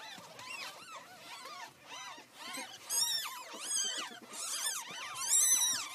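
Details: Pet ferrets playing roughly, one apparently hurting the other, give a rapid, continuous run of high, arching squeals and shrieks that sweep up and down, growing louder and shriller toward the end.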